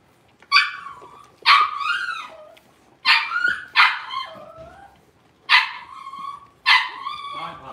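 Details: Six-week-old blenheim Cavalier King Charles Spaniel puppies from a litter of five in a home puppy pen give six sharp, high yipping barks, each bursting out then trailing off, spaced roughly one to one and a half seconds apart.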